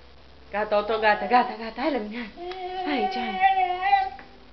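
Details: A beagle howls in wavering, rising and falling tones, answering a passing ambulance siren.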